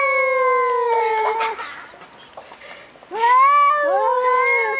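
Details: Two large male cats outdoors at night after dinner time, yowling aggressively before a fight; long drawn, baby-like wailing cries with rich harmonics, a slowly falling howl followed after a pause by overlapping rising and wavering yowls.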